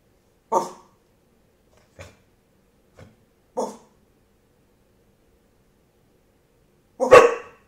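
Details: Dog trained to bark on command gives single short, clipped barks with long silent gaps: two strong barks, two faint ones, then a final loud, broad bark after a pause of several seconds.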